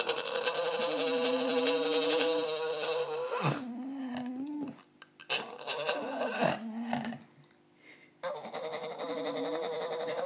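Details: American Staffordshire Terrier in a long, steady, tonal howl that bends down into lower wavering whines, followed by a few shorter moaning calls broken by brief gaps, indoors.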